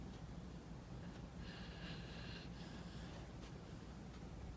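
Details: Angel, a rescued pit bull puppy, snores while asleep and dreaming: one long raspy, wheezy breath of about a second, then a shorter snort, over a low steady indoor hum.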